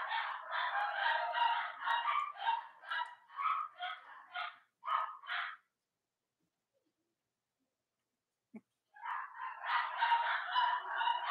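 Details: Young Cavalier King Charles Spaniel puppies of Robin and Myra, on a chilly Monday morning: dense, insistent squealing in quick bursts for about five seconds, a pause with one soft knock, then the shrill chorus resumes.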